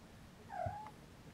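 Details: Siamese kitten napping beside its mother Siamese cat indoors gives a short tonal meow, dipping then rising slightly and held briefly, with a low thump underneath and a quiet room background.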